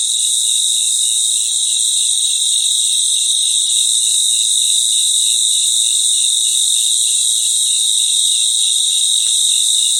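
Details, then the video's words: Night chorus of crickets in their natural environment: a dense, continuous shrill high ringing with a lower pulsing chirp layer repeating about four times per second, steady throughout and no other sounds. "Sounds of Cricket | Relaxing Sounds of Crickets"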